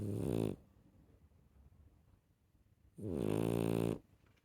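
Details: A rescue puppy snoring indoors, two loud rasping buzzy breaths about two and a half seconds apart with near silence between them.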